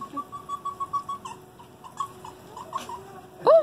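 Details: Captive Arctic foxes squeaking at the Columbus Zoo & Aquarium: a rapid even train of short, thin, high squeaks, about six per second, then looser squeaks and a loud arching, wavering cry at the close.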